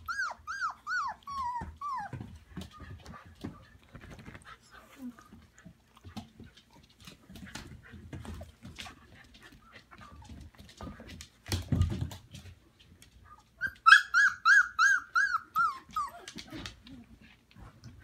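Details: Samoyed puppies and their mothers in a larger indoor pen in a living room on Prince Edward Island, Canada, in March. Arched whines open, then come shuffling, soft voices and thumps, then a loud run of rapid squealing yelps.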